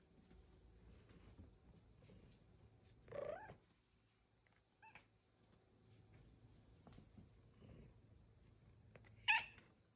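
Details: Pet female cat chirping and meowing to her owner inside the home: a soft meow, a short faint chirp, then a sharper high chirp near the end, over a steady low room hum.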